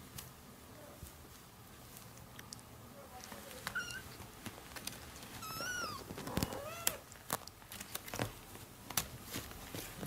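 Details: Orange kitten calling its mother while playing, with a few short, arched, rising-then-falling meows around the middle of the clip, over a noisy background with clicks and scattered knocks.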